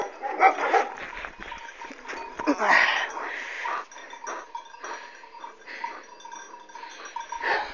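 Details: Kangal dog in a fight, attacking its owner as a white dog intervenes; rough barking and growling at about three bursts per second, loudest near the middle, over background scuffling.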